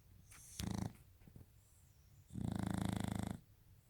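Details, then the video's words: A Shar Pei dog snoring: two low, rasping breaths, a short one near the start and a longer buzzy one later, each with a rough vibrating rattle, separated by quiet breathing. "Sharpei snoring"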